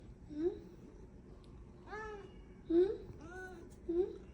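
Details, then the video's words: Pet tuxedo cat vocalising when it wants something, making funny sounds indoors: short soft mews around two and a half seconds apart, a rising harmonic meow near two seconds and another near three and a half seconds, with faint room background. "Kalau kucing ada maunya (2) Ngeluarin suara lucu"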